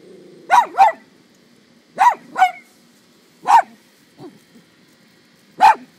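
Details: Pair of household dogs barking at a deer feeding from a tree in a neighbouring yard: sharp barks mostly in quick doubles, about seven in six seconds, with a softer low yip between them.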